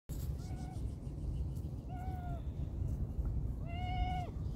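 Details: Kitten or cat meowing while being fed chicken canned food; three clear tonal meows with harmonics, the last longest and slightly falling at the end, over steady low rumbling background noise.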